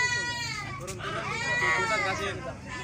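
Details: Goat bleating at the Pasar Semuli Raya goat market: two drawn-out, trembling bleats with a bending pitch, heard close, while people talk and the market crowd murmurs.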